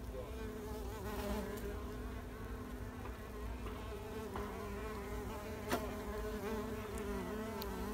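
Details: Spring 2021 recording of wild mason bees pollinating: an even, droning buzz of overlapping wingbeats that rises and falls slightly, with a faint tap about two-thirds through.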